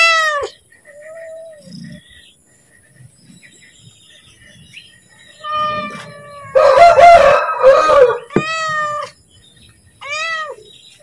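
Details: Pet cat calling to ask for food as it is about to be fed: a few loud, arching meows at the start and near the end, with a burst of rough, noisy sound in the middle.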